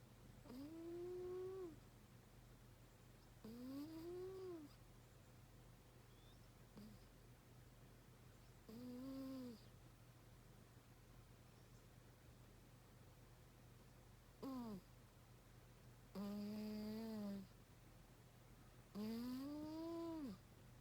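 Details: A pet cat sleeping soundly and snoring hard: each breath brings a tonal, whining note that arches up then down in pitch, six of them over twenty seconds, roughly every three seconds, above a steady low hum.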